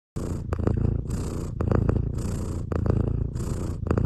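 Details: A sleeping cat snores loudly and steadily, each deep rasping breath lasting about a second and repeating in a regular rhythm, with a low rumbling purr-like texture.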